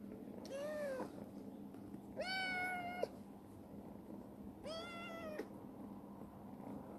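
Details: Three insistent meows, each nearly a second long with a rich harmonic tone, from Chibikuro, a formerly suspicious black rescued stray female cat now affectionate and growing well in a warehouse; steady low hum throughout.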